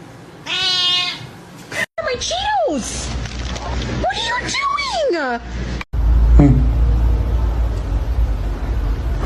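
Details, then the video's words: Domestic cat meowing three times in a row, each a wavering arched cry with strong harmonics, the last the longest and highest; a loud rushing noise and faint voices take over the end. "funny cats talking"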